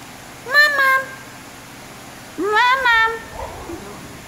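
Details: A Basenji (Canis familiaris) talks back to its owner with two drawn-out, yodel-like whines that rise then bend down.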